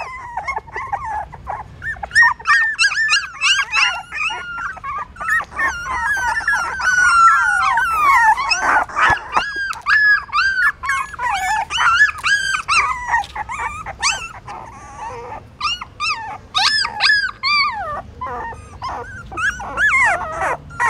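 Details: Litter of newborn puppies, hungry and suckling from their mother in a pagoda stupa, Siem Reap, Cambodia; continuous chorus of wavering whines and squeals from many pups, with a few lower growly moans mixed in.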